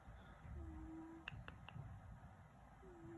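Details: Domestic cat snoring indoors: soft, whistled tone slightly falling and held about half a second, repeating roughly every two seconds, with a few sharp clicks between breaths over a low rumbling background.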